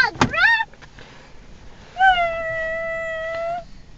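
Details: Pugs guarding their territory in a car against possible predators: a short upward-sliding yelp, a pause, then a long, flat, sustained howl lasting over a second and a half.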